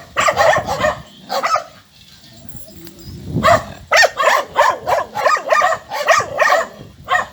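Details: A pack of four small dogs defending their owner barks sharply: a few yaps, a short pause, then a rapid steady series of bright, clipped barks roughly every half second.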